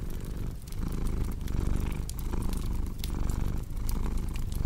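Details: Close, buzzy purring from a cat, a dense low vibration that briefly softens between breaths, with fireplace crackles popping in the background.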